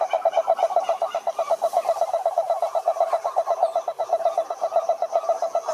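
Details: Many frogs singing together at a pond, their fast, rhythmic pulsed croaks running about four per second in an unbroken chorus.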